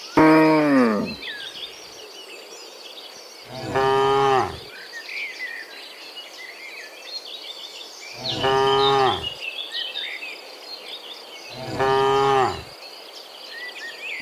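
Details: Morning herd of cows walking back from the field to their pen, four low, droning moos spaced roughly four seconds apart over steady chirping and twittering of birds.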